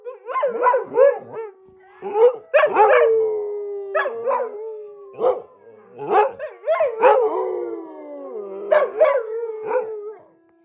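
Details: Dogs howling together before going to bed: a busy mix of overlapping howls and quick barking yelps, several voices sliding downward, with a long fading drawn-out note near the end.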